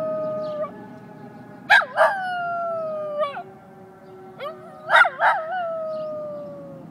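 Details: Schnoodle howling back at fire engine sirens: long, sliding wavering howls rise and fall in several bursts while a steady siren tone holds underneath.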